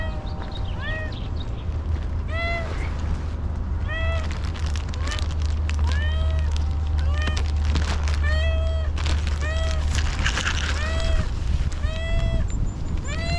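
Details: Homeless she-cat, very hungry after a long time without food, meows insistently, about every second, each cry bending up then down; a low hum and faint clatter run underneath.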